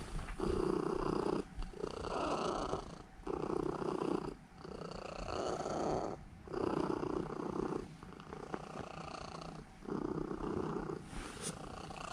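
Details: Elf, a female Norwegian Forest Cat aged seven, kneads and purrs before sleeping; strong rhythmic rumbling in repeated swells of about one and a half seconds separated by short breathing pauses, with a faint click near the end.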